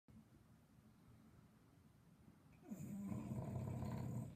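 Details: Sleeping English Bulldog snoring loudly: quiet breathing for over two seconds, then a loud rough snore begins, with a low rasping rumble and a rising onset.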